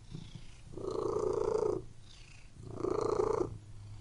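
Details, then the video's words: Domestic cat purring, two long rasping breaths roughly two seconds apart, each swelling and fading, over a steady low hum. "WHEN CAT MEOWING AND PURRING"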